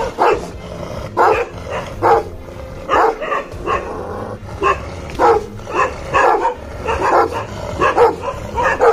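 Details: A rare-coloured Bhotia dog (Himalayan Sheepdog) in Uttarakhand barks in deep, gruff bursts, roughly one each second.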